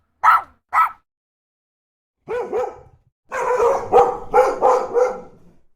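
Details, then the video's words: Dog barking loudly: two quick sharp barks, a pause, a double bark, then a fast run of about five rough barks in close succession. "SOM DO CACHORRO, CACHORRO LATINDO, LATIDO DE CACHORRO"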